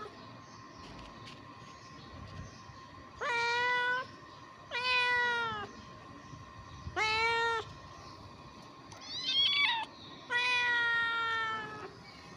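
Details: Hungry ginger kittens fighting over food, calling with loud harmonic-rich meows, five drawn-out cries spaced one to two seconds apart, some bending downward at the end, over a steady low background hum.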